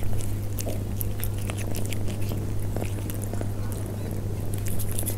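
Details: Persian cats eating at close range: scattered quick clicks and soft smacking crunches, fairly even in loudness, over a persistent low background hum.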